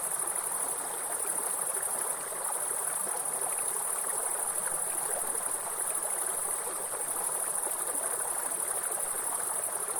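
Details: Grasshoppers in a forest beside a waterfall: a steady, very high, thin continuous buzz holds unbroken for ten seconds, with a brief dip near two seconds, over a constant rushing hiss of flowing water.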